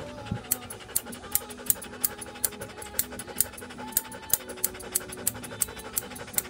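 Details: Joe, a standard poodle, at a dog grooming salon on Boulevard Haussmann in Paris, panting in quick, even breaths about three per second, sharp and breathy, over soft background music.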